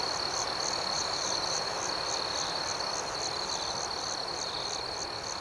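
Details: Night-time crickets chirping in a calm outdoor setting, a continuous shrill pulsing chorus at about four beats per second that slowly fades slightly over the clip.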